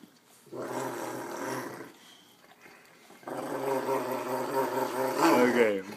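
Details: A male Rottweiler–Newfoundland mix gives drawn-out, rumbling growls of happiness and affection toward his mom, so excited he can't contain himself.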